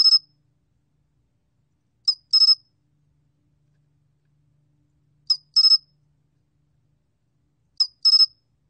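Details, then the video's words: Korean 솔귀뚜라미 cricket recorded by the National Institute of Biological Resources in 2020, giving shrill paired chirps: one brief click-like pulse, then three quick pulses, recurring at irregular gaps of roughly three seconds. "솔귀뚜라미, 1번 듣기, 곤충소리"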